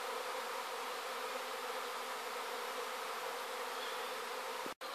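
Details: Sydney honey bees leaving their hive as a swarm in 2012, a loud, even, rich buzzing drone holding steady throughout before a sudden short cut near the end.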